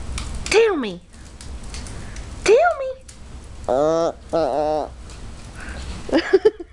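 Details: Chatty Maltese dog: two swooping whine-yelps, then two sustained warbling moans, ending in quick little yips, with quiet gaps of room noise between.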